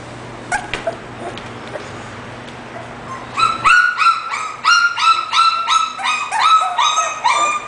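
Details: An English bulldog; after a few seconds of steady background hiss, a rapid run of high, tonal yips and whines begins, roughly three per second, rising and falling in pitch.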